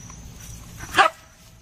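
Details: A dog playing with a baby gives one short, sharp bark about a second in, standing out against a quiet background hum.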